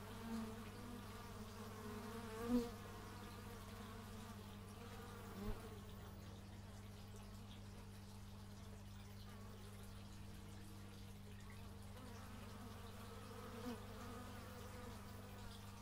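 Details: Outdoor bee buzzing recorded with a stereo x/y microphone: soft fluctuating drones weave over a persistent low hum, broken by a few brief knocks and bumps.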